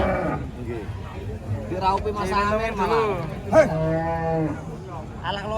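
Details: Thin, bony cattle taken to market, lowing with drawn-out harmonic moos that bend and flatten around the middle of the clip, over a background of human voices and crowd noise.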